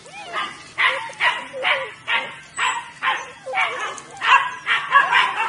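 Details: Weimaraner puppies from a litter of nine, born 23 June 2017, giving short yappy barks about twice a second in a fairly steady rhythm, with thin whines sliding between the barks.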